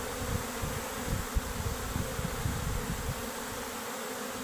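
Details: Worker honey bees abandoning their beehive together with the queen; a dense, continuous droning buzz of many bees, steady throughout with faint crackling thumps underneath.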